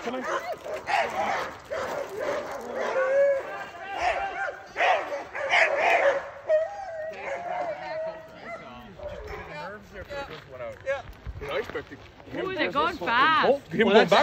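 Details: Sled dogs including Alaskan Malamutes Sojou and Dotty waiting to chase a bigger team on a cart; a chorus of yips, whines and drawn-out wavering howls, louder near the end, mixed with human speech.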